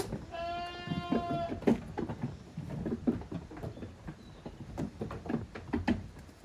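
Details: Young goat kids romping hard on the exercise ground at Yoshigake goat farm, a handmade farm, on 30 April 2023. One long, steady, strongly harmonic bleat about a second long, then hoof thumps and clatter from the play.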